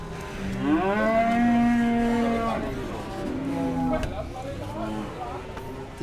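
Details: Cattle mooing at a livestock market in Dimoro, Blitar, Indonesia, where buyers negotiate and weigh animals; a drawn-out, slightly rising moo, then shorter, softer lows, over crowd noise and a sharp knock.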